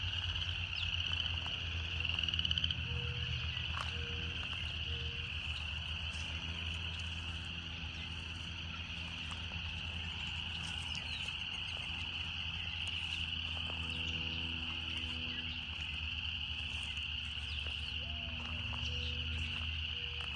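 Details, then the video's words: Cicadas keep up a constant shrill whine, joined by a noticeable low droning hum, occasional clicks, and scattered short mid-pitched tones. "Canto das Cigarras"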